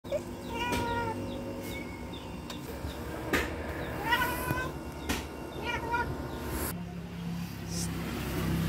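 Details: Pet cat excited at spotting a lizard indoors; bright, short chirping meows that each slide slightly downward, about five bursts over nine seconds, with knocks and clatter in between and a woman's voice nearby.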